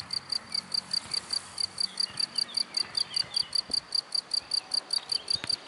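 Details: Cricket hidden in grass, giving a steady high pure chirp pulsed about four times a second, evenly repeated, over faint low background rumble.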